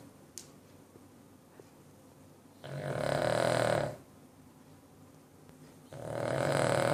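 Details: A 9-year-old male Cavalier King Charles Spaniel snores loudly in rough, rattling breaths separated by quiet pauses.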